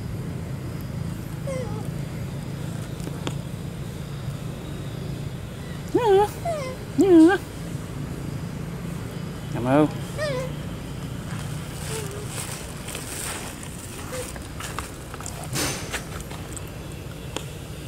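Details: Tiny pet monkey Snoopy, after eating rice and wanting to drink milk, gives short bursts of high, wavering squeals, clustered around two moments a few seconds apart, over a steady low hum with soft human speech nearby.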